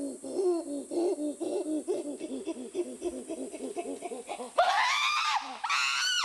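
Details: Chimpanzee pant hoot, a display of strength and dominance: a steady run of quick, breathy panting hoots, about four per second, building into loud, shrill screams near the end.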